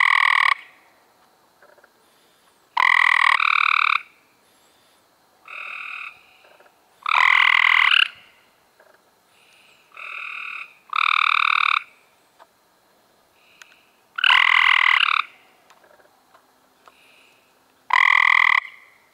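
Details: Chorus of Cope's gray treefrogs in May 2016, multiple males trading short, rasping pulsed trills back and forth, loud close calls alternating with softer distant ones every second or two.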